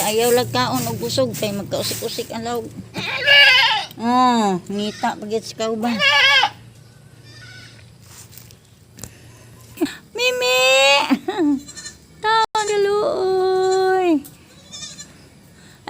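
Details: Domestic goats at feeding time give a run of quavering, wavering bleats over the first six seconds, then a second burst of drawn-out bleats later. A person talks between the calls.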